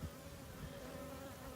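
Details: Small western honey bee swarm settled on a fence post, described as not terribly aggressive in this state; a steady, low continuous buzz with a faint hum, no other clear sounds.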